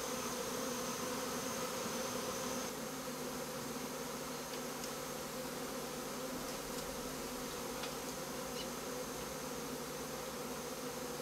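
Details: Swarm of honey bees settled inside a house, producing a continuous, thick buzzing drone throughout with faint ticking clicks and a low hum shifting partway through.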